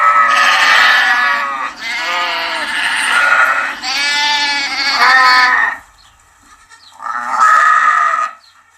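Several loud, wavering baas from a young sheep follow one another closely, then pause before one last bleat. Each call is high-pitched and tremulous, with a nasal, bleating quality.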